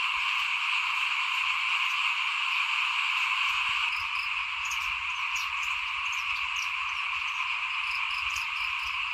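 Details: Frogs chorusing outside a house during rice sowing in 2021; many callers blend into a continuous shrill trill, with a soft thump near four seconds and scattered higher clicks afterward.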